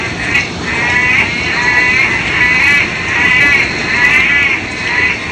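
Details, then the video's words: Loud frogs calling in roughly five wavering, trilled bursts. The bursts are spaced about a second apart and sit at a mid-high pitch. A steady background hiss runs throughout. "Loud Frogs sound effect"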